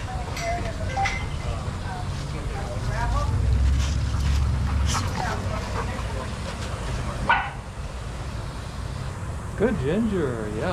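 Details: Adoptable shelter dogs at play in a daycare yip and bark in a busy, overlapping stretch, then a high wavering whine rises and falls near the end, with human voices and a low rumbling hum underneath.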